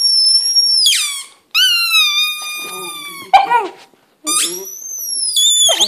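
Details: Luna, a pet English Setter, howling for the first time indoors: a sustained high tonal cry with a stack of bright overtones, broken by short pauses and sliding falling and rising segments.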